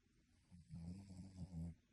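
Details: Sleeping dog snoring, which is said to sound like a human: one low, rasping, harmonic snore lasting about a second, rising and falling in loudness, in a quiet room.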